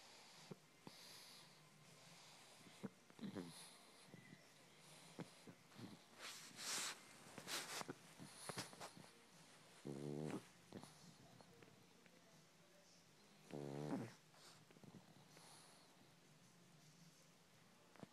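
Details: A pug purring like a kitten indoors: scattered snuffles, sniffs and wheezy breaths, broken by two distinct rumbling, vibrating grunts about four seconds apart, each under a second long.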